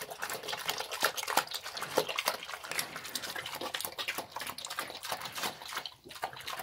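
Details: Sloppy feeding by a pig: rapid moist chomping and lip-smacking bursts, with louder clicks in the first half and a brief lull near the end.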